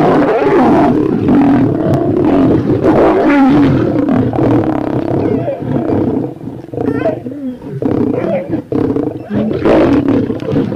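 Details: Lion heard during hunting and feeding on prey such as buffalo, zebra and deer: a continuous, deep, rumbling growl with harsh harmonic layers that swells and fades over about eleven seconds, with rasping bursts near the end.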